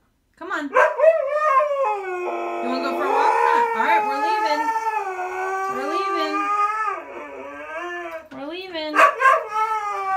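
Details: Siberian Husky named Zeus, too stubborn to go walking, voices his protest in continuous, rising and falling howls and yowls, with sharper yelping bursts near the end.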